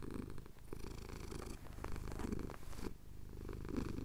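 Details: Male pet cat in the Cotswolds purring as his chin gets scratched at sunrise; low continuous rumble with faint breathy gaps near half a second and three seconds, recorded separately on a Tascam DR-07X.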